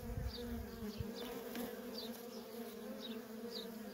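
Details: Honey bee workers swarm the entrance of a feral colony in constant traffic, producing a thick low drone overlaid by short rising and falling whines of single bees zipping past, plus a few soft thumps.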